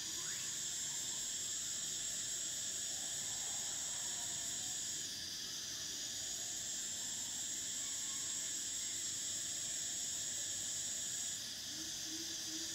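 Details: Continuous shrill summer song of cicadas, a sustained high metallic whine that briefly weakens twice, over faint scattered chirping lower down.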